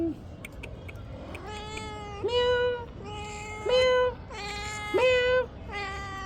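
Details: Kitten meowing repeatedly: about six clear, tonal meows in quick succession, each rising at the start then held, some louder and more drawn out, with a little faint background noise.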